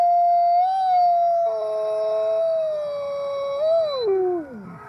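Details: Gray wolves howling in chorus at the Wolf Conservation Center in South Salem, New York: a smooth sustained howl with a brief rise, joined by a second voice, ending in a sliding downward fall as the howl fades.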